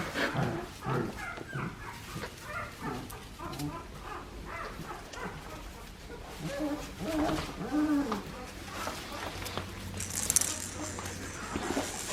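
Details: Australian Shepherd puppies from the litter of Poppy and Dublin, bred on an Oklahoma farm, give short harmonic yelps and whines in irregular bursts, with human voices talking over them throughout.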